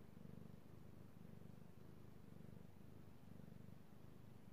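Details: Io the cat, a male pet, purrs contentedly under petting, recorded 3/16/18: deep, even rumbling in short swelling pulses about once a second, otherwise quiet.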